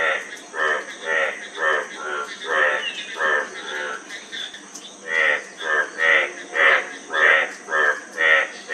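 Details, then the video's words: Rasping frog calls repeated in quick succession. A few are fainter and blur together midway, then a steadier series of loud, ringing croaks follows at under a second apart. "Frog Sound--Frog Sound Effect 15 min"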